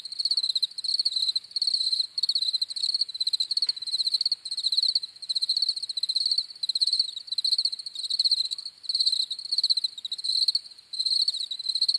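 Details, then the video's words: Crickets chirping in a steady chorus: high, pulsed trills repeated in short bursts with brief gaps, each burst a rapid train of clicks, continuing throughout with no other sounds. "CRICKETS CHIRPING SOUNDS"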